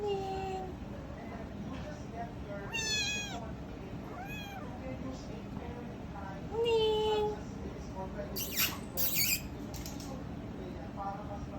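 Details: Small kitten meowing repeatedly in short rising-and-falling cries, mixed with a person talking and a few sharp clicking or rustling noises toward the end.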